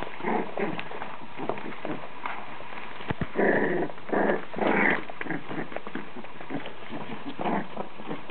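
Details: Five Danish-Swedish Farmdog puppies at play, short rough growls and squeaky yips in scattered bursts amid pattering paws and a sharp knock.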